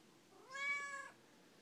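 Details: [5, "Talkative Siamese cat complaining: a single loud, bright meow of about half a second that swells and fades, with a person's voice before and after."]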